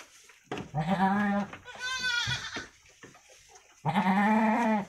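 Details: Two young female goat kids, roughly a week old, Javanese Randu crosses kept in a pen, call out in three loud, tremulous bleats, the middle one higher and thinner, with soft knocking between them.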